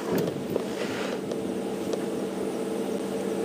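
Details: A steady engine hum with a faint tonal drone and a few soft knocks, with no animal voice audible.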